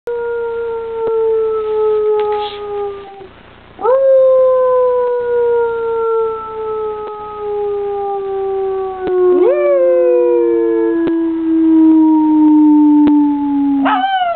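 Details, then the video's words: Young pet dog named Teddy Bear, said to howl like a coyote, giving long, smooth, slowly falling howls, each sliding down over several seconds, with a short upward yelp-like rise before the last howl. "Teddy Bear Howls"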